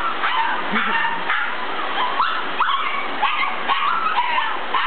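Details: Excited puppies howl and bark at a vacuum cleaner during socialisation, giving short, quick yips and barks scattered throughout, partly buried under the constant loud roar of the machine.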